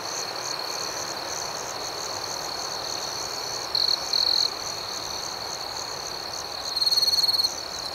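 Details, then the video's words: Crickets chirping at night: a steady, high-pitched trill runs throughout under a quicker pulsing layer of higher chirps, with a louder, closer burst near four seconds and another near seven seconds. "Soothing Cricket Sounds"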